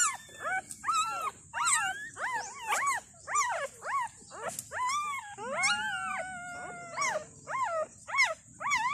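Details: Thai dog puppies just born, day two, five pups with their mother, hungry for milk: loud, clear wailing squeals, each rising then dropping, one long drawn-out cry near the middle, steady hiss behind.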